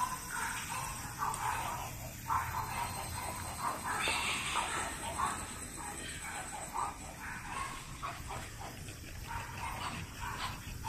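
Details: French Bulldog puppies born in June 2017 make a steady run of short, high squeaky whimpers and yips, overlapping bursts that rise and fall through the whole stretch against a faint background hiss.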